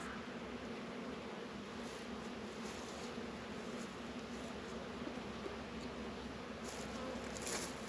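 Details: Honey bees working at a hive in an apiary in northern Kentucky on a warm 72-degree February day; a steady, dense low buzz of many bees fills the recording without pause.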